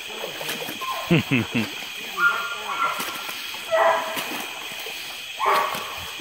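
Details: A Treeing Walker Coonhound gives loud, ringing tree barks in bursts over a steady background hiss, treed in a small flooded swamp in woods near Indianola, Mississippi, on a hot July evening after rain.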